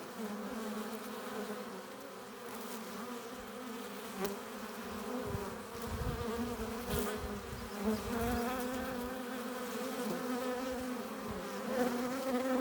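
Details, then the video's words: Honey bees flying in and out of the hive entrance with pollen and nectar, making a soft even hum of several layered tones that grows a little louder and busier toward the end, ending in a sharp knock. "15 minutes of bee hive entrance! Relaxing sounds! Buzzing sound efects"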